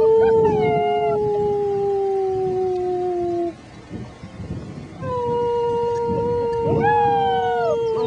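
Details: German Shepherd puppies, six weeks old, howl along with a human companion: long flat sustained notes with a few arching puppy wails, then a quiet gap before the joint howl resumes.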